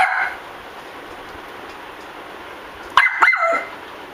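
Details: Puppies that have found a cockroach: a brief high yelp at the start, then a quiet room, then one sharp bark followed by a squeaky, wavering whine lasting about half a second.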